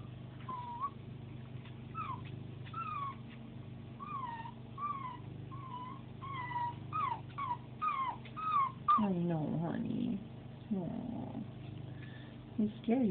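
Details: Jack, a 9-week-old Pembroke Welsh Corgi puppy, cries on his first day home, only hours after arriving, scary being all by himself; high whistled whimpers rise and fall in quick repeated bursts, with a woman softly comforting him throughout.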